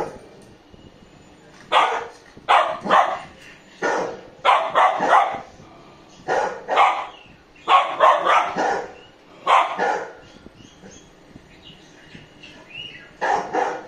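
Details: Golden Retriever puppy barking aggressively at a big Labrador: bursts of short, rough, yappy barks in clusters of two to four, repeated through the scene with brief pauses between volleys.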